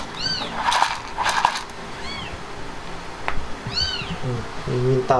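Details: Indoors after the Himalayan cat Blanca has given birth: three high, arching mews about two seconds apart, mixed with rustling bursts and clicks, and a person's voice starting at the end.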